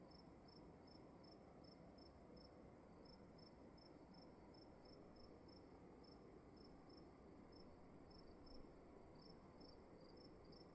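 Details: Cricket calling in a dark room at night: a steady train of short, high-pitched chirps in quick succession, broken by brief pauses, over a constant low, soft rumble and hiss of room noise.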